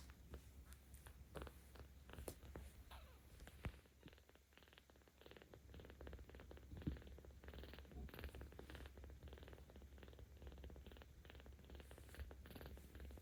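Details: Seventeen-day-old kitten named Ao at a cat volunteer shelter in Tama City, Tokyo, filmed 10 October 2022, purring louder while petted: a steady low rumble throughout, with scattered clicks and rustling handling noise.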